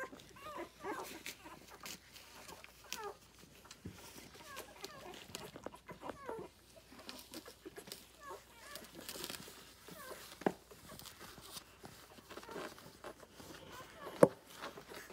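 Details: Six-day-old Rhodesian Ridgeback puppies from a litter born 9/3/2020, nursing on their mother, give a steady scatter of soft, short squeaks and little rising chirps from several pups at once, with faint shuffling underneath.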